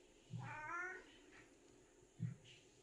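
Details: Seven-year-old pet cat on the hunt, giving a short, faint, strained meow of under a second, with low soft thuds before and after; quiet indoor room.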